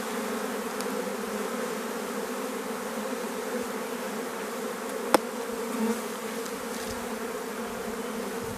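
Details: Honey bees of a drone-laying hive (ruche bourdonneuse), their frames shaken out about fifty metres from the apiary: a steady, even hum with layered low tones throughout, and a single sharp click near the end.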